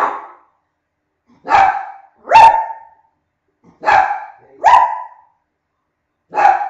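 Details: Loud, clear dog barks from a barking contest, six single yaps with a rising bright onset, given singly or in close pairs every second or so.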